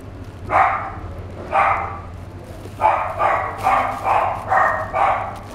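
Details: Fawn male Chihuahua born 3 July 2016, at a pet shop, gives a series of short, sharp, high yapping barks, two spaced apart then a quicker run of five, over a steady low hum.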